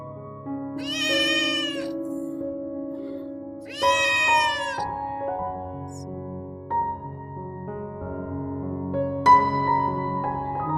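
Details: Recovering rescued stray kitten, much stronger today, gives two long, loud, bright meows in the first half and a short cry later, with gentle piano music playing continuously underneath.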